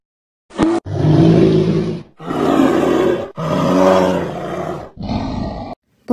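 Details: Deep guttural roars from a bear, four long rasping bursts with brief gaps between them, low and rough throughout, with a short click at the start and end.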